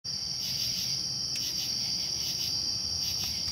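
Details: Crickets calling in a dense, continuous high-pitched trill that holds steady without pause, faint pulsing beneath the sustained ringing tone.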